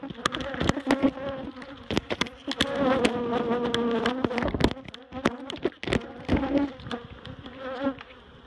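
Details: Agitated honeybees in a barrel hive being cut apart for relocation to Miss Bee Haven. A low humming swarm buzz runs throughout, repeatedly interrupted by loud clicks, taps and knocking from the work on the comb.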